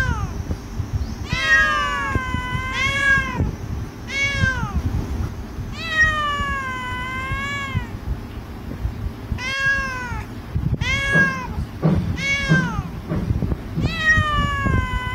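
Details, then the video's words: Sleepy stray Persian cat in Singapore public housing, meowing repeatedly; clear harmonic meows with arched, slightly rising-then-falling pitch, about a dozen calls spaced one to two seconds apart over low background rumble. "sleepy cat"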